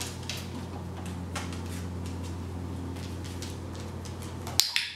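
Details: A steady low appliance hum fills a small indoor room, with light clicks and taps, until a sharp clack cuts the hum near the end.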